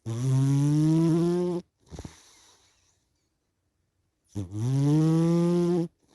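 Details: Sleepy domestic cat snoring with two long, rough, droning intakes, each starting low and rising a little, separated by a short, quiet, airy exhale and a few seconds of silence.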